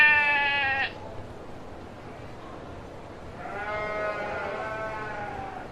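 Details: Domestic sheep giving two bleats: a short, loud, tremulous bleat, then a pause of about two and a half seconds, then a longer, quieter, wavering bleat trailing off.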